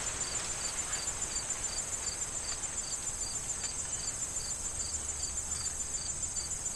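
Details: Autumn corn field crickets before the fall harvest, giving evenly spaced high chirps roughly every quarter second against a constant piercing trill, while wind rustles through the corn stalks.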